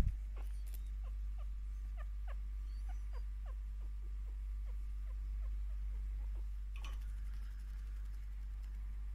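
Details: Pet female chinchilla, five years old and closely bonded to her owner, chirping contentedly while receiving scratches and attention; short downward-sweeping chirps repeat in a steady series about three per second, over a low constant hum.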